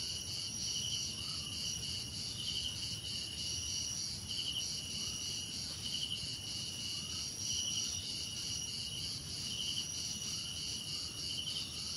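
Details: Crickets in a nature-sound ambience: a dense, steady high-pitched trilling chorus with short pulsed chirp bursts repeating roughly every second or two, plus faint soft rising notes in the background and a low rumble underneath.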